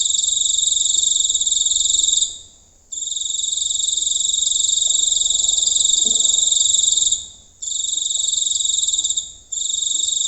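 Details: Close-up night recording of a giant cricket in the countryside, giving a piercing, steady high buzz in long bursts of two to four seconds separated by short silent gaps.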